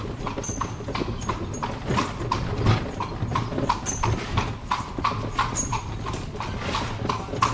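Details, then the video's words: A horse hauling a carriage through cobbled Spanish streets without traffic: clear, woody hoof knocks in a loping clip-clop, uneven spacing, over low wheel rumble with brief high metallic squeaks. "Horse carriage riding along cobble streets in Spain, no traffic"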